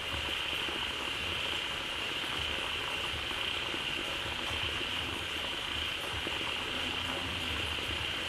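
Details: Frog crowd filling a pond fed by a newly flowing waterfall, calling loudly together; continuous dense churning chorus with a sustained high whine and low pulsing croaks, no breaks.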